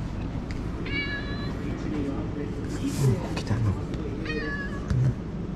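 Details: Stray tuxedo-marked cat sheltering in a cooled waiting room amid this year's severe heat gives two clear, harmonic meows about three seconds apart, with a person's soft voice calling and a constant low background rumble.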